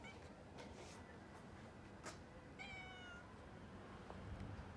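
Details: Female cat up a tree, trying to get down, encountered on a walk; a single clear descending meow past the midpoint over steady outdoor hiss, with a person speaking nearby.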